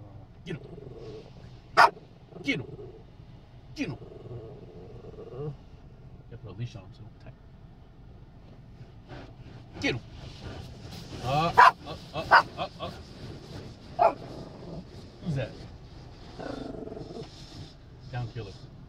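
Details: Chiweenie, a Chihuahua and Dachshund mix, reacting to a car wash with sharp, irregular barks scattered through the recording, under frequent human talk and the rumble of vehicle and washing machinery.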